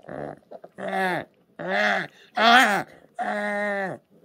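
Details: Orphaned new-born brown bear cub, one of ten rescued in 2023 by the Orphan Bear Rescue Centre after losing its mother, giving four loud, harmonic whining cries, each about half a second long and arched in pitch, separated by short pauses.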